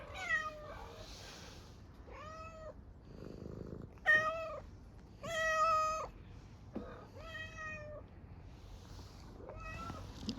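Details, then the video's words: Hungry stray street cat in Istanbul meowing for food with an unusual voice: a series of about eight tonal, slightly wavering meows, each roughly half a second, spaced irregularly, with soft rustling and brief noise bursts between them. "Hungry street cat meows for food with a strange sound"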